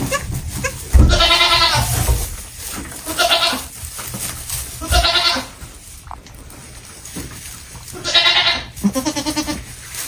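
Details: Baby goats on a farm bleating: four loud, quavering, harmonic bleats, each about a second long with a wavering tremolo, spaced a few seconds apart, over low background rumble and scattered clicks.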